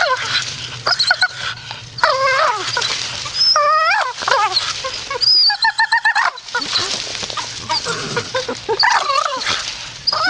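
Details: Grumpy Staffordshire Bull Terrier muttering in uneven bursts of rising and falling moans, one clear wavering howl-like grumble in the middle, interspersed with rough breathy noises.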